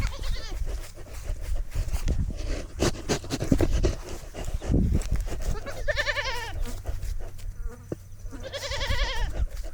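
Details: Goat, the newest member of a herd, throwing a fit, burping and eating, recorded on a goat-mounted camera; two loud, wavering, strained bleats near the end, with chewing, bumping and thudding noises and a steady low hum throughout.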